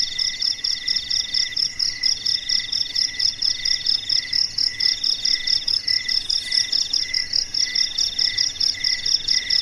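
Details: Night-time crickets in a still, silent darkness, their high, shrill pulsed chirps layered into a dense ongoing chorus, repeated about twice a second, with no other animals or voices audible.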